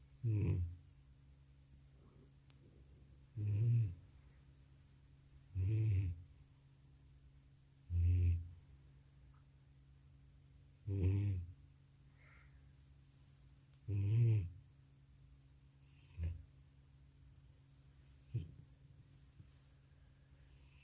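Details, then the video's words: Elderly male house cat passed out after a vet visit, recorded without a separate microphone: steady, booming low snores, each a short harsh rumble, repeating roughly every two to three seconds, the last few softer, over faint indoor hum. "나의 늙은 고양이의 우렁찬 코골이 리얼사운드"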